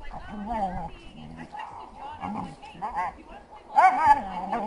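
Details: A dog the owner guesses is a heeler mix, frolicking with an Australian shepherd in April 2012, makes odd, wavering, moaning whines and grumbles, rising and falling in pitch.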